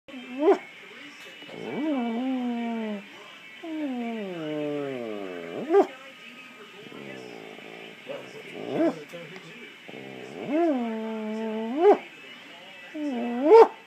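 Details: German Shepherd dog, listening intently to its owner, gives drawn-out whining vocalizations that rise and fall in smooth arcs, several long moaning calls separated by short sharp breaths and pauses.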